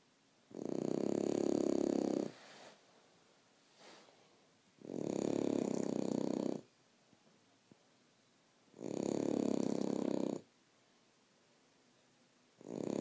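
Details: Sleeping French Bulldog snoring steadily: loud, rattling, vibrating breaths of about one and a half seconds each, repeated roughly every four seconds, with brief soft exhalations in between.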